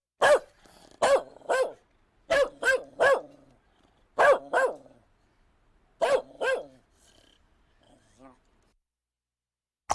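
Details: Dog barking in quick doubled bursts: sharp, mid-pitched woofs mostly in pairs, about ten barks in seven seconds, then a faint short whine and quiet.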